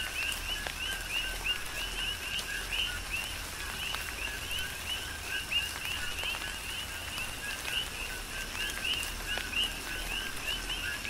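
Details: Rhythmic coqui frog calls in a rain shower, Big Island, Hawaii: crisp upswept high chirps paired with lower notes repeat steadily, some frogs louder than others, against a constant wash of falling rain.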